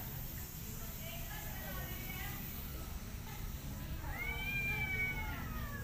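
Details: Mother cat and kittens during grooming, the mother both attacking and loving them; soft faint mewing at first, then one long, clear, slightly falling meow closes the passage over low steady hum.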